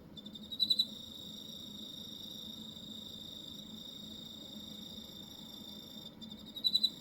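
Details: Hokkaido cricket singing a continuous shrill, even-toned trill, broken by a crisp chirp of three or four rapid pulses near the opening and another close to the finish.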